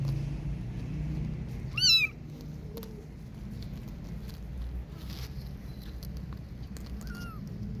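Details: Playing kitten outdoors gives one loud arched meow, then a softer second one about five seconds later, over a low background hum.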